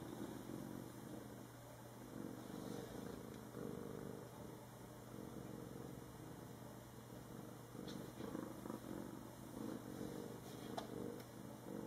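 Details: One of two pet cats, Panda and Rocky, purring softly: a low, steady, continuous rumble with a few faint clicks and handling noises over a constant background hum.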